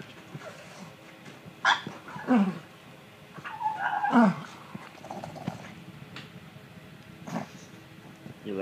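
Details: Pug named Stitch scratching his itchy neck indoors, making weird vocal sounds: a few strained, falling whimper-grunts around two seconds apart, rising to a louder cluster near the middle, with a person's voice mixed in.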